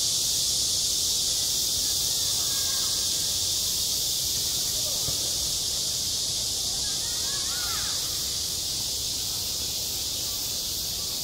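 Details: Cicadas singing at midsummer on a school playground: a dense, unbroken, hissing high buzz fills the upper range throughout, with a few faint chirps and murmurs far beneath it.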